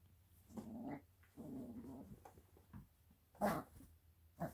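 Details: Eight-week-old Italian Greyhound puppy growling while it bites a bed: two short throaty growls in quick succession, then quieter broken grumbles and a couple of sharp rustling knocks.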